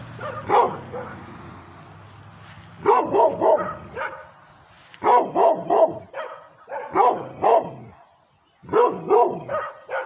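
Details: Female pit bull mixed with Redbone Coonhound, barking aggressively at the camera held near her: bursts of two to four harsh, mid-pitched barks separated by pauses of one to two seconds, with a low hum early on.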